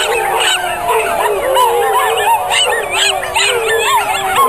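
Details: A miniature schnauzer howls in wavering, rising and falling tones over a murmuring, applauding crowd during an encore at the 2010 Portland Miniature Schnauzer Club Schnauzer Walk singing contest.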